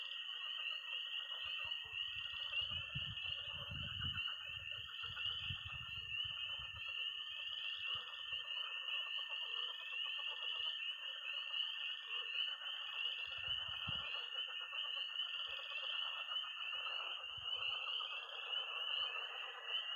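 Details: Night frog and toad chorus at a pond in Missouri in early spring: a dense, steady high peeping of tree frogs over a rough, crackling mid-pitched croaking layer, with low thumps in the first seconds and again near fourteen seconds.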